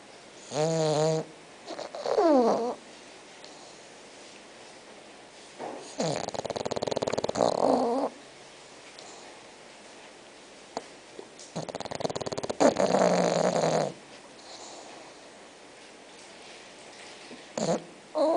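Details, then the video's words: Sleeping six-month-old bulldog named Spock snoring: rough, rattling snore bursts near the middle and later, with brief higher whiny voiced sounds at the start and quiet pauses between breaths. "Bulldog Roncando"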